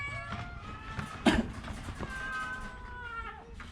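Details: Orange domestic cat, sick with a cough and cold, giving a short meow and then a long, drawn-out meow that holds steady and slowly falls away. A sharp knock sounds near the middle, with low background rumble throughout.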